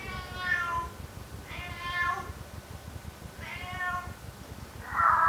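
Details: Cat meowing: three drawn-out, tonal meows about every one and a half seconds, each rising then falling, followed by a shorter, harsher cry at the end, over a faint background hum.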